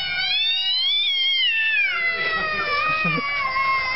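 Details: Domestic cats quarrelling: a long, drawn-out yowl with many bright harmonics, rising slightly then sliding down and wavering, growing rougher and more strained toward the end.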